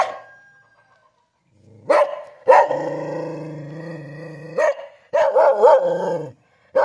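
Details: Kintamani dog from Bangli, Bali: a few sharp barks, then a long, low, drawn-out growling call lasting about two seconds, followed by a cluster of rapid barks.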